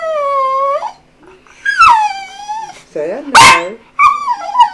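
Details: Eight-year-old dog Jambo producing human-like 'hello mama' vocalizations: a run of sustained, tonal, wavering yowls with rising and falling inflections and short sharp yips between them, with a person's voice briefly mixed in.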